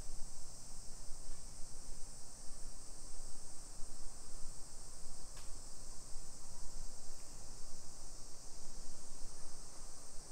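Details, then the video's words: Summer cicadas in a hillside residential neighborhood of Nisshin city, about 20 km from downtown Nagoya, Aichi, Japan, at 1 PM on 28 July 2021: an unbroken high, hissing buzz holds steady throughout, over low rumbling footsteps and street noise. "Summer Cicadas Sounds"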